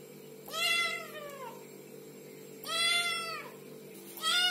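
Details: Little kittens meowing: three high, harmonic-rich mews, each arching up then falling, spaced about two seconds apart, over a steady low hum.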